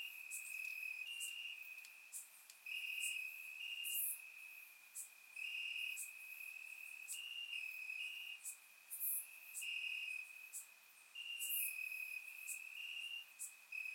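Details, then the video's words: Grass crickets on a warm Bulgarian summer night, recorded with a surround microphone: rapid pulsed chirping repeated roughly four times per second over a steady shrill trill, with occasional very high ticks. "Cricket Sounds - Crickets Chirping at Night"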